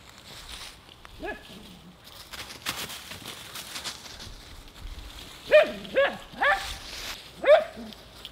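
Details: Nora, a Husky, playing in her leaf pile, gives four high, rising barks spaced about half a second apart near the end, after a quieter stretch of soft rustling and a faint early yelp.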